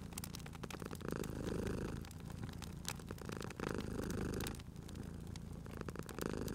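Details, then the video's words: Cute cat purring at a crackling fireplace while it sleeps; steady low purr rises in louder bursts roughly every two seconds, overlaid with frequent pops and crackles of burning wood. "Cute Purring Cat at a Crackling Fireplace"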